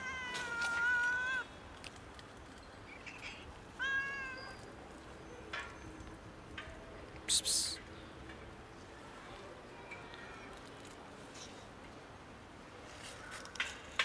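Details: Two domestic cats cohabiting, outdoors in cold winter, on the verge of fighting over food: a clear drawn-out meow near the start, a shorter meow around four seconds, then faint scattered mews and rustling noises.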